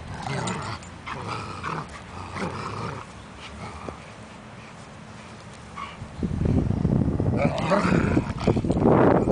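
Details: A pair of German Shepherds tugging on a leash: deep, choppy growls in short pulses, then a louder, denser stretch of snarling growl near the close, with a man calling encouragement.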